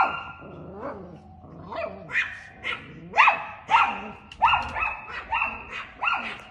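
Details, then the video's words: Chihuahua dog yapping at a cat, starting with a few softer, whiny barks that build into loud, rapid, high-pitched barks fired close together in the second half. "Cute Chihuahua Dog Barking At A Cat"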